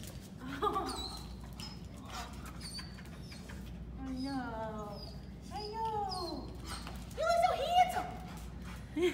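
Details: Ace, a Jack Russell and Heeler mix dog, at his reunion with his owners: high excited whines and squeals, several sliding down in pitch, come in bursts, with people talking over and between them.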